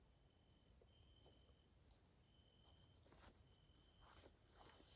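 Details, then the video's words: In a Central European nature area in Hungary, evening grasshoppers (Caelifera) keep up a continuous thin, high shrill, while a lower buzzy trill starts and stops in bursts of about a second, among soft crackling taps. "grasshoppers sounds in nature area Hungary Central Europe"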